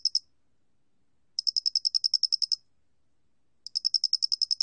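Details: Song of the square-headed cricket from the National Institute of Biological Resources, 2020: a clipped ending, then two long bursts of a dozen quick high clicks each, separated by a two-second hush.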